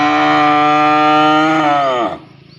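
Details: Single long, loud cow moo lasting about two seconds, calling a partner to mate; a full, steady harmonic tone that bends downward and fades as it ends.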